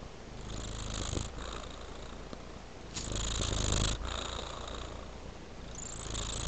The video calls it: A Sweet Purring Tabby Cat